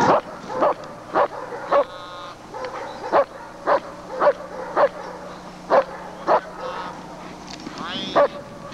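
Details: Lord v. Gleisdreieck, a working German Shepherd of DDR lines, in home footage filmed off a TV screen, 1995: sharp barks repeated roughly every half second, about a dozen in a row, with faint voices between them.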